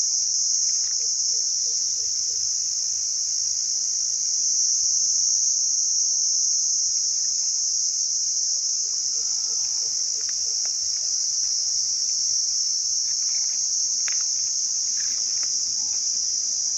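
A cricket gives a continuous high-pitched ringing trill, made by rubbing its wings together. Faint scattered ticks and chirps sit quietly beneath the constant sound.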